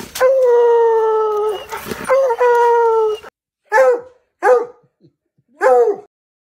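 A Treeing Walker Coonhound gives two long, drawn-out bawling bays, then several short, sharp barks.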